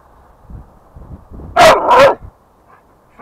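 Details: An American Staffordshire Terrier playing outside near home gives two loud, sharp barks in quick succession, followed by a quiet pause and faint rustling. A man talks to the dog just before and after.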